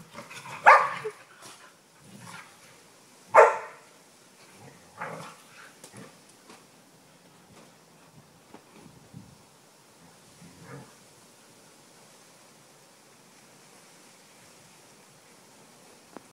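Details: Two Norwegian Elkhounds playing chase in a backyard: two sharp, loud barks near the start, then a few softer yelps and scuffling sounds before the yard falls quiet.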